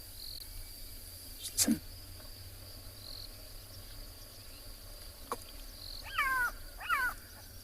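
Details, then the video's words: Wild black-backed jackal in a South African game reserve giving its rare danger alarm after a leopard passed, morning, 26 March 2021: two quick downward-sliding yelps near the end, after a sharp knock early on, over constant insect drone. "that's a black-backed jackal and they very rarely do that call unless they've spotted something that was dangerous"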